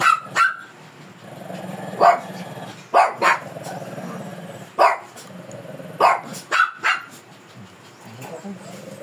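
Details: Fierce Shih Tzu resisting grooming, giving short sharp barks scattered through the stretch, some in quick pairs and triplets, while a person talks steadily in the background.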